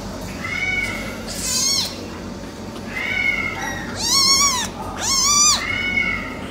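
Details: American Shorthair silver tabby kitten brothers meowing: about six high, harmonic-rich meows, some drawn-out and level, others arched and rising then falling, the loudest two near the end, over a steady low background hiss.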